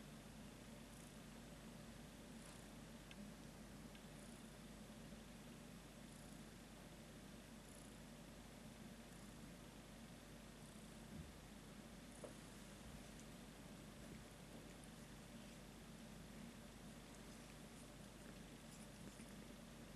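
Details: Domestic cat purring quietly indoors: a soft, steady low rumble with a fine rapid pulsing texture lasting the whole stretch, over a faint constant background hum with no other clear sounds.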